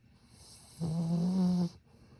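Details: Sleeping Satsuma beagle snoring quietly: one drawn-out, low droning snore of about a second, steady and buzzy with a faint hum of higher overtones, preceded and followed by near silence.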